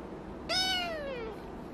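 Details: Kitten that will not share its pillow with its doll gives one clear meow, starting abruptly, briefly rising, then sliding steadily downward over about three quarters of a second. Only faint room hum behind.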